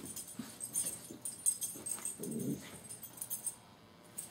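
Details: A puppy pushing a pillow along, giving soft, short whimpering and snuffling noises in quick bursts, with one longer low whine just past the halfway point and faint rustling throughout.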